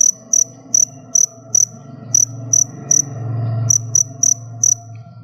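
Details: Kept crickets awaiting their molt chirp in sharp, high pulses, about twelve with a short break partway, while a low rumbling hum swells and fades behind them.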